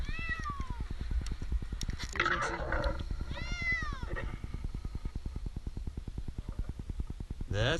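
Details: Two drawn-out, downward-bending meows from Jinx, an 8-month-old kitten stuck two nights up a tree in Newark, Ohio, as a rescuer offers food; a rapid engine-like thrumming runs underneath, with brief rustling between the cries.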